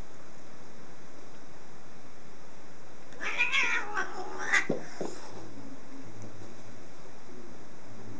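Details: Domestic cat in a cats' room, giving a short cluster of high, bright meows in the middle of the recording, then quiet with a steady background hum.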